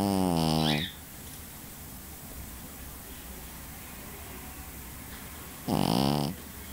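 A Pekingese dog snores in two loud, raspy, buzzing breaths about five seconds apart.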